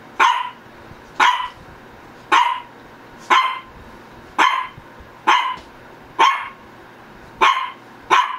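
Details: Shih Tzu, one of Ggung and Ssong, barking insistently, nine clipped barks roughly one second apart with an even rhythm, each a short bright burst over a faint background hum.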